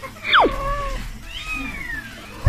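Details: Newborn kitten crying after a newly arrived cat stepped on and kicked it in the birthing room: a sharp high cry falling steeply, then a longer thin wavering mewl sliding downward, with indoor background noise.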